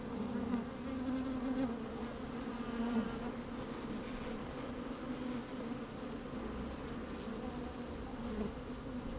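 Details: Inside an opened beehive on a fine sunny day, honey bees at work make a continuous, even hum with occasional brief louder buzzes rising above the drone; a little wind in the background.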